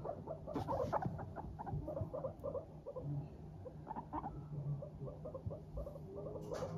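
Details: Happy guinea pigs of Teddy and Abyssinian breeds chattering as they walk: busy, uneven patter of short soft pops, thickest early on, then sparser, over a continuous low hum and light rustles.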